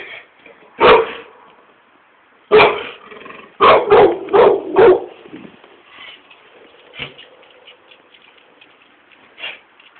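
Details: Irish Staffordshire Bull Terrier on guard patrol in a yard, barking in irregular bursts: a single bark, then a rapid run of four or five sharp barks, followed by quieter scattered yips and one last bark.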